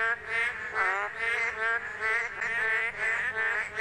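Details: Male boreal digging frogs chorus in the rainy-season breeding period, calling on rainy days with nasal, bleating notes about twice a second to attract females; each male gives only one of two notes, alternating with neighbours.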